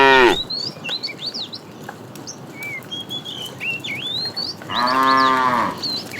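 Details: A tame cow, herded in the morning toward green grassy fields, gives a fairly high, drawn-out moo as small birds chirp and twitter steadily behind.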